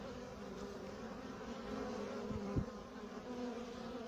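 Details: Male honey bee (drone) with slightly chewed-up wings, flying around a beekeeper: steady low droning hum with layered harmonic bands, swelling slightly mid-way, plus a couple of brief knocks.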